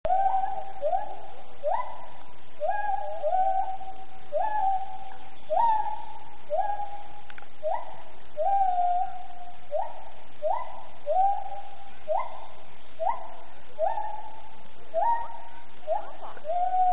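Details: A gibbon at Planckendael sings a steady series of rising, whooping notes, about two each second.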